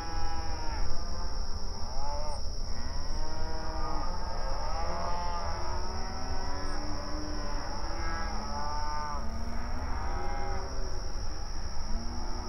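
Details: Open range cattle grazing in an outdoor pasture, mooing to each other: many overlapping long, low, harmonic moos rise and fall almost continuously. A steady high-pitched whine and a low rumble run underneath throughout.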